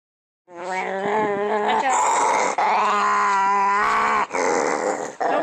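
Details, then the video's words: Pet dog named Pancho making weird noises while growling: a continuous harmonic, moaning growl with wavering, warbling pitch, running almost unbroken for several seconds with brief breaths between. "Pancho making weird noises when he growls."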